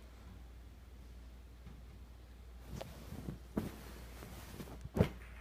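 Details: Quiet indoor room hum with a few soft knocks and thumps toward the end, and no bark or other animal call heard.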